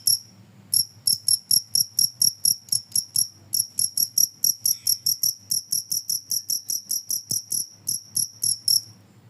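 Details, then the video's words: Cricket chirping, a recording said to scare off rats: loud, high, ringing chirps repeated steadily about three per second, with a few brief pauses, over faint low thumps. "suara jangkrik ampuh bisa mengusir tikus"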